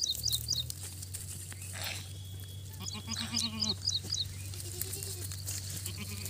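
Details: Young goat kids: a short wavering bleat rises near the middle, set against repeated high sharp chirps of small birds and a steady low hum in the background.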